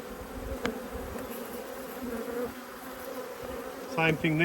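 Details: Agitated honey bees buzzing while their two hives are inspected. The continuous low drone rises and falls slightly, and a brief human voice cuts in near the end.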